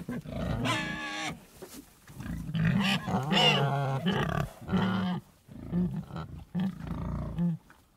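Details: Pigs give deep, rough grunts and a few strained higher squeals in irregular bursts, with quieter gaps between them.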